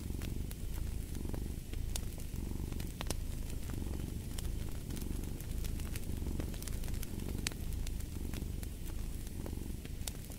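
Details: Domestic cat purring beside a crackling fireplace, a low continuous rumble with soft pulsing, overlaid by frequent sharp pops and snaps from the burning fire.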